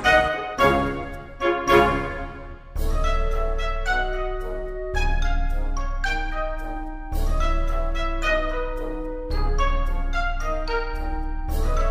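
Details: Orchestral music with brass and piano plays throughout, with no animal sounds.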